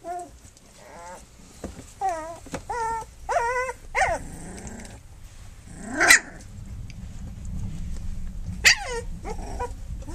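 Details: Flute's puppies on their three-week birthday, nursing and playing; a run of short, wavering whimpers repeats every second or so, then gives way to louder squeals and low growly grumbles.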